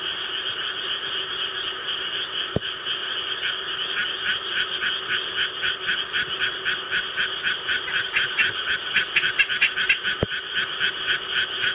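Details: Japanese tree frog kept at home, calling when a recording of rice-paddy sounds is played; quick raspy pulsed croaks build up over a steady background frog chorus from the recording, loudest near the end, with two sharp clicks.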